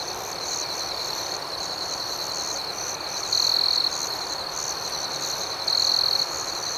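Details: Night crickets form a dense high trilling backdrop, with two louder buzzy trills standing out about two and a half seconds apart.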